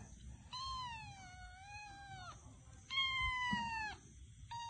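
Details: Two long, clear cat meows, the first sagging in pitch and then lifting, the second steady and gently falling, with a brief third call starting at the end; only a faint room hum lies beneath.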